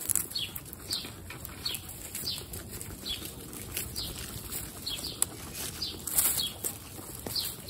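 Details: Guinea pigs at a first meeting with babies Snow, Pistachio and Pumpkin in a household of 29: short high squeaks sweeping downward, repeated about twice a second over steady rustling of bedding.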